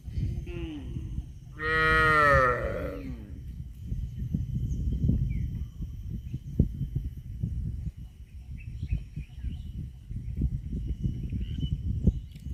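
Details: A cow lets out one loud, long, full-bodied moo near the start, followed by steady low rumbling background noise with no further calls.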